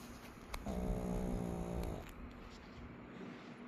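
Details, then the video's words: Bokdol, a 12-year-old Shih Tzu mix, snoring; a single buzzy, rattling snore of about one and a half seconds over low background hum. "코골이 시츄 복돌이"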